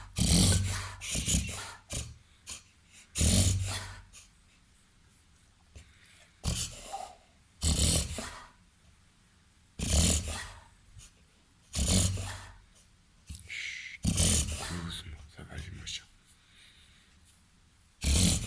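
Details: Reverse sneezing in a 30 kg Labrador cross with golden retriever and Weimaraner blood, 21 months old: scattered bouts of rough, wheezing snorts, single or paired, with quiet breaks of a second or more between them.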